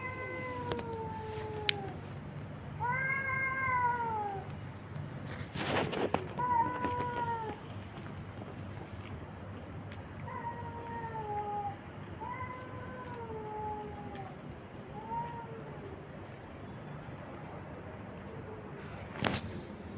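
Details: Abandoned stray cats and kittens being fed on the street, meowing repeatedly: a string of short rising-then-falling meows, some overlapping, roughly every one to two seconds, with a few sharp knocks and clatters in between.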